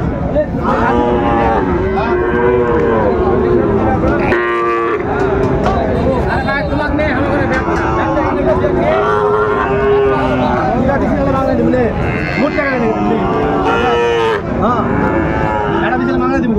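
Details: Cattle market scene with Sahiwal bull calves on sale, Chattogram farmer buying, December 2024; repeated short lowing moos from several cattle rise and fall throughout, mixed with dense human talk and market bustle.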